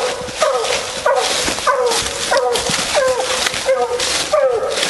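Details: A female Bluetick Coonhound on a night raccoon hunt bays in repeated drawn, bending howls roughly every half second to second, against a loud, steady hiss of insects or noise.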